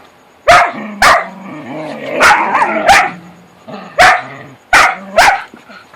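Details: Playing in the dark, whippets give sharp, loud barks in uneven pairs and singles, with wavering whiny growls between them.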